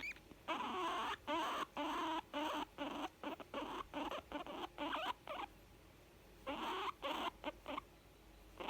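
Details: Young female guinea pig making sounds of contentment: short buzzy, rasping bursts repeated roughly twice a second in quick runs, broken by a brief pause before a second run of bursts.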